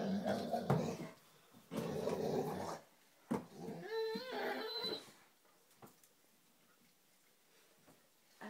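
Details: Five-month-old Great Dane puppy playing with its reflection in a mirror before bed, indoors. Two bursts of low, rough growling come first, followed by a brief high, wavering whine, then near silence with faint thumps.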